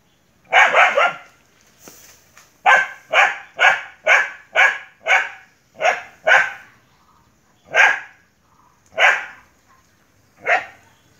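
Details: Dog barking steadily while fighting a monitor lizard: a run of about twelve loud, rough barks, bunched closely in the middle, then slowing to spaced single barks toward the end.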